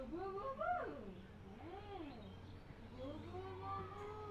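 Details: Cats and kittens meowing in a funny compilation: three soft, arched meows rising and falling in a quiet indoor setting, with a low steady hum underneath.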